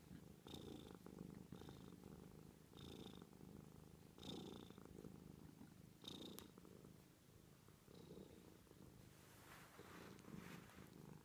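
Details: Steady purring from a domestic cat: a soft low rumble pulsing with each breath, around six swells in eleven seconds, most with a faint high-pitched whistle, the later stretch slightly noisier and less even.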